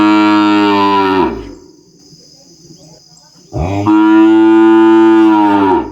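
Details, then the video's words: Calf on a small farm bellowing and mooing: two long, loud, harmonic moos, the first fading after about a second, the second rising in and holding steady for two seconds, with a quiet gap between them. "Som de Bezerro berrando e mugindo"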